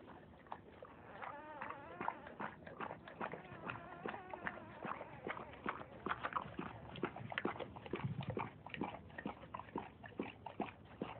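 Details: Around a dog giving birth to puppies, rapid high squeaky whines and whimpers follow one another densely, several per second, with a low voice heard now and then.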